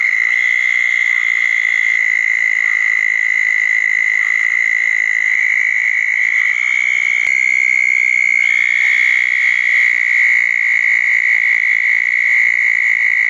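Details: Southern toads calling at a pair of small dug ponds after a thunderstorm on a wet night, June 10, 2014; a long, steady, high musical trill held without a break, with overlapping trills from other toads.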